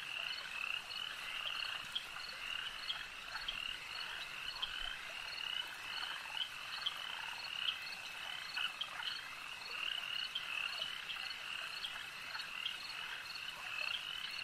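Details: Lakeside frog chorus, many callers croaking at once in a steady high shimmering wall of sound, with brief sharper notes popping out irregularly throughout.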